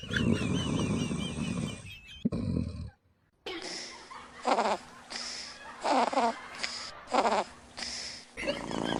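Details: Sleeping dogs in a funny compilation, several short segments of rough, rasping snores in repeated bursts about every second, with abrupt cuts between scenes and a high wavering tone in the first part.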